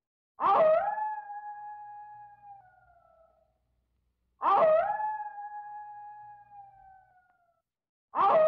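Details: A gray wolf, apparently missing its younger sibling, gives long, steady howls, each starting with a rough burst and fading at the end.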